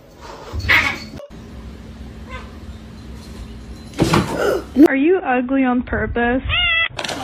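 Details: A domestic cat gives a run of short, wavering meows, each bending up and down in pitch, after several seconds of people talking over room noise.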